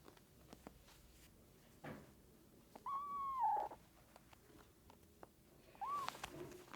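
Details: Abandoned kitten rescued after two days in -11°C snow, without food or shelter: one drawn-out, steady meow that falls away at its end, then a brief rising second cry, over faint clicks and handling noise in a quiet space.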